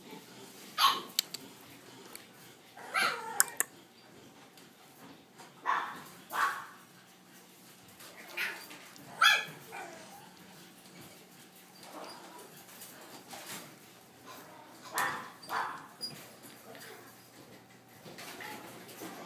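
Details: French Bulldog siblings, a brother and sister, growing up; short scattered barks and yips sound every few seconds, some paired, over a soft steady background.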